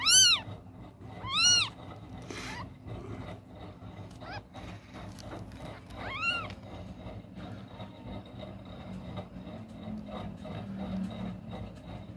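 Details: Three newborn kittens with closed eyes, one crying loudly while hunting for its mother's milk at night; two sharp arched mews open the clip, a few fainter cries follow around four and six seconds, over low background hum.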